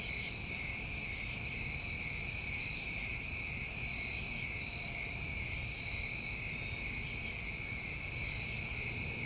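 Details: New England crickets on a summer night keep up a constant, even, high-pitched drone of overlapping trills, with a few faint higher swells.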